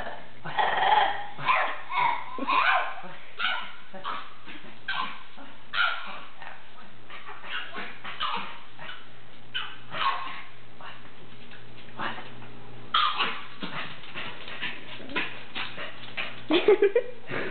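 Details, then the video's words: Beamer, a pet dog said to make strange singing sounds, gives a steady series of short yips and yodel-like moans in uneven bursts, a few longer wavering notes near the start and end, owner's voice faintly present. "My Hilarious Weird Singing Dog"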